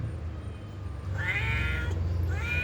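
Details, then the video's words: Domestic cat meowing back during a conversation with a person, one bright meow mid-clip followed by the start of another, over a loud low rumble. "Cute Conversation With A Responsive Cats"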